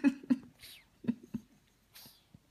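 A French Bulldog puppy snores in short, rough, snorting pulses that come in close pairs.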